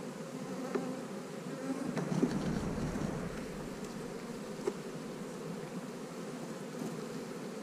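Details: Honey bees at a hive on split day, when colonies are divided and queen cells sit in the splits: a steady, dense droning hum with a few faint clicks and knocks, no voices.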